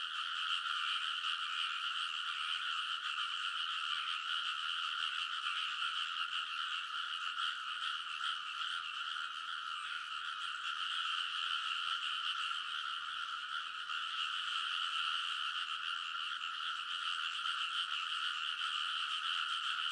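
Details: Large chorus of frogs calling from rice field ridges in Kōnosu, Saitama Prefecture, Japan, late at night in early summer, TASCAM Portacapture X8 recording; a sustained, loud mass of quick repeated croaks with no pauses.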